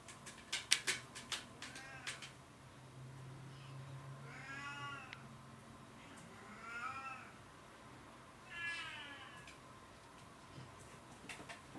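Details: Oriental or Siamese cat meowing indoors: three drawn-out rising-then-falling meows spaced about two seconds apart, after a burst of clicks and knocks, over steady low hum.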